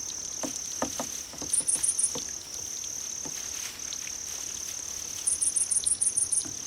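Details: Grass-insect chorus meant to draw cats. A continuous high, shrill trill runs throughout, joined by two runs of rapid, higher pulsed chirps, about four, then eight. Scattered soft taps sound in the background.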